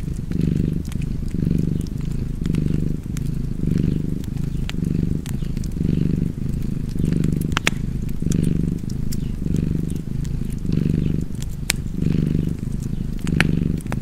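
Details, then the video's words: Purring house cat next to a fireplace, a throaty rumble in steady rhythmic surges just under once a second, accompanied by frequent light crackling and a few sharp pops from the flames. "Cozy Purring Cat ASMR / Kedi Mırlaması"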